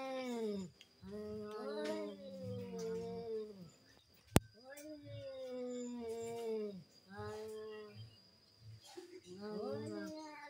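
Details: Cats in a duel, giving long, wavering yowls that rise and fall in pitch, drawn out over several seconds with short pauses between, plus one sharp click midway.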